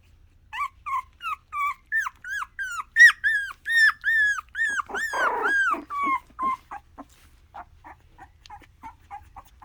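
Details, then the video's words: Miniature Australian Shepherd puppy indoors, a litter of young pups: a run of high, arched whimpering yelps repeated more than once a second, rising then falling, with a brief rougher growly burst midway before the cries fade to soft squeaks. "Mini Aussie Puppies making some noise!"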